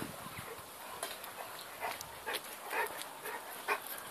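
A Dogo Argentino and Cane Corso mix puppy gives short, high yelping whimpers at uneven intervals.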